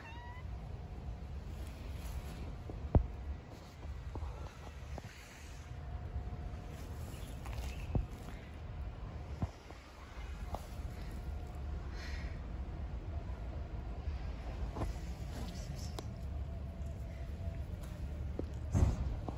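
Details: A stray cat meows softly outdoors. The faint, drawn-out mews rise over a constant low rumble of background noise, with occasional clicks and knocks.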